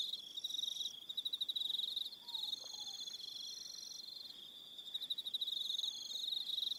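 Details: Crickets in the evening on Aroha Island, New Zealand, produce rapid high-pitched rhythmic pulsing that swells and fades, overlapping callers at slightly different pitches, and one soft descending whistle midway.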